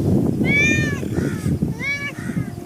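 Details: Cat searching for something, uttering two short meows that rise and then fall, followed by a softer, fainter meow, with background rumble and low room noise.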